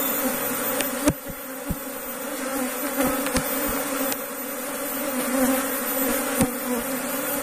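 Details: Steady droning hum of kept Asian honey bees (Apis cerana) at a beekeeper's hive, with a queen excluder fitted to stop the colony absconding; sharp clicks and knocks sound at intervals over the continuous buzz.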